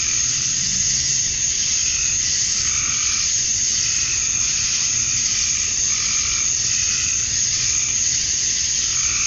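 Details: Male cicadas singing at dusk on a Georgia summer night, USA, calling for females: a continuous piercing buzz with repeated mid-pitched trilling bursts, frog-like, recurring every couple of seconds.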